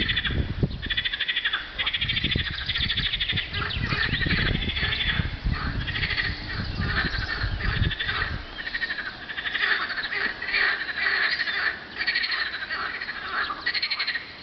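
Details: Springtime frog chorus recorded 24 April 2012 on a hot day: ceaseless overlapping pulsed trills from numerous frogs, while heavy low rumbling, likely wind, dominates the first eight seconds before fading.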